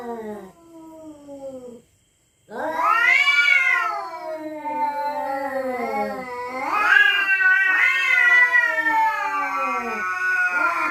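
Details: Cats threatening one another after dark over territory. A falling moan breaks off into brief silence. Then an intense, sustained caterwaul follows, warbling up and down in pitch and repeatedly surging louder and higher, harsh and continuous for eight seconds.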